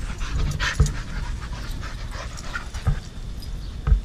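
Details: Dogs playing, with steady breathy panting and soft rustling, broken by three sharp low thuds spaced about a second apart.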